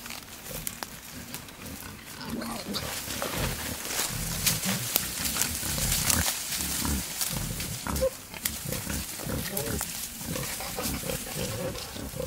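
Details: Male wild boar courting a female out in the wild, giving rapid, irregular low grunts and chuffs roughly one to two per second, mixed with rustling and a constant broadband hiss.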